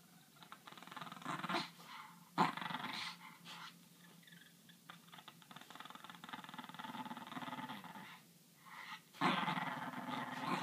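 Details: French bulldog facing off against a griffon, growling and grumbling in a rough, continuous rasp with louder snarling bursts near the start, middle and end, amid scuffling noises.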